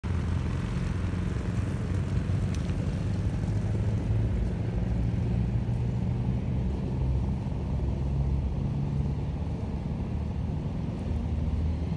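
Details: Steady low rumble of road traffic and engines in an urban park, with no animal sounds heard.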